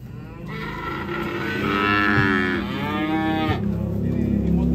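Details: Cow getting off a truck in Indonesia gives one long, loud, rich moo that swells and slowly falls over about three seconds, with steady background rumble.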